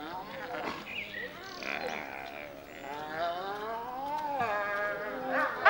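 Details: A pack of gray wolves, including a black wolf, howls together, long wavering tones overlapping and sliding up and down in pitch, howling used for communication within the pack.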